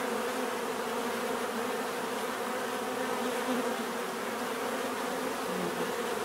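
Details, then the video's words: A swarm of bees hums steadily, layered wingbeat tones blending into one unbroken drone with a few individual bees passing closer and briefly rising in pitch. "bees therapy relaxing natural buzzing sound"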